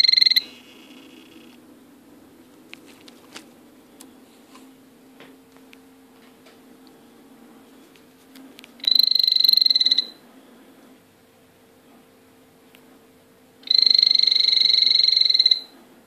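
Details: Calling male blue poison dart frog: three separate bursts of rapid high buzzing trill, each about a second long, spaced several seconds apart over a low room hum.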